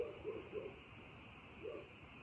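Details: Frogs calling on a night: short, low, rounded croaks, three in quick succession, a pause, then a fourth, over a steady high background hiss.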